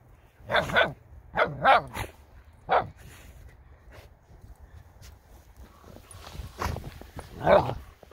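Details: American Akita puppy barking while jumping on an English Cream Golden Retriever rolling in snow, filmed on a Samsung Galaxy S10e; short, sharp barks, mostly in pairs, early on, then two more after a quiet spell.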